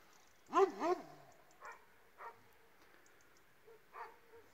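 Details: An Illyrian Shepherd and a Presa Canario mix: two loud barks in quick succession open the sequence, followed by fainter, spaced single barks about once a second.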